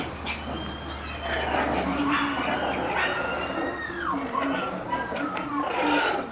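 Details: Playful Shiba Inu puppy outside, letting out drawn-out whines that slide downward, mixed with brief yelps, over steady human chatter and a low hum.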